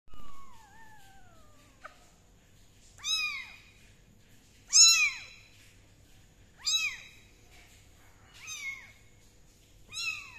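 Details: Kittens being dried with a dry towel and a gentle hair dryer: high, thin meows rising then falling, repeated about every two seconds, five clear calls after a descending squeak, over a faint steady hum.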